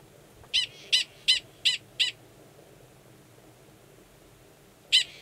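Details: Male Gunnison's prairie dog 45 at Valles Caldera National Preserve, New Mexico, March 2017, calling to an estrous female; five loud clipped chirps in quick succession, silence, then one final chirp.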